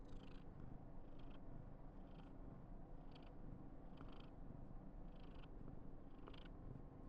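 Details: Karen, a female Somali cat born 19 November 2021, purring at home while in a very affectionate mood on her 995th day. A steady low rumbling purr runs throughout, with brief soft rustling bursts about once a second.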